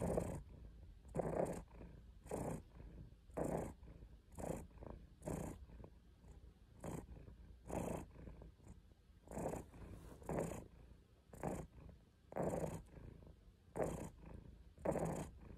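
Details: A purring domestic cat named Caesar von Schwanheim, close up. A low, rasping throb pulses in steady breathing cycles, about one a second, with soft breathy noise between the pulses.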